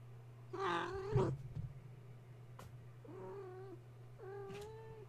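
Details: Gaia's kittens, woken at bedtime when a space heater was plugged in and now playing wildly in their pen: three high, harmonic-rich meows, the first loud and wavering, the later two rising then falling, over a steady low hum.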